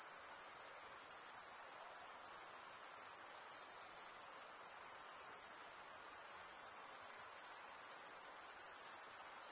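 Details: Steady chorus of cricket chirps, a shrill continuous shimmer very high in pitch with a faint pulsing texture, even in volume from start to end, nothing else audible.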